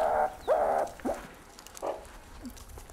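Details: Meerkat alarm call from arid southern Africa, played during a talk on meerkat communication: short, harsh, tonal calls near the mid range, a loud opening burst followed by several quicker, sliding notes over three seconds.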